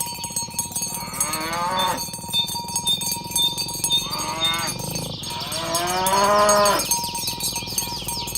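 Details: Cows roaming green grass fields, calling companions to gather while herded toward the pen one morning: three moos in eight seconds, each sliding downward, amid steady cowbell clanking.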